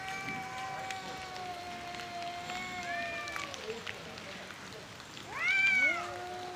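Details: An angry fight between two male cats over territory and breeding. Long, level, whining yowls give way to a sudden loud, high rising screech near the end, followed by a lower drawn moan.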